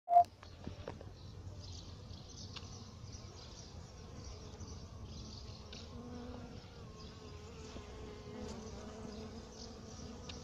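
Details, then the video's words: Bees foraging on a magnolia, a steady low droning buzz running through the whole recording with overlapping wingbeat hum, a brief sharp knock near the start. "Abeilles sur un magnolia"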